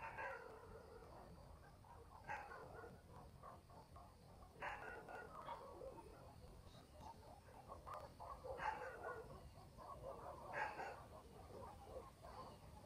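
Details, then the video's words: Night in a country village, dogs barking far off: scattered single and paired barks with louder bursts every few seconds, irregular in rhythm, set against a quiet rural background with a steady high hum. "barking dogs in the village"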